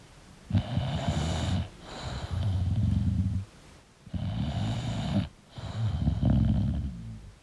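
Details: An English bulldog snores while asleep: coarse, low rattling breaths in bursts of one to one and a half seconds, alternating with brief quiet spells, roughly thirty per minute.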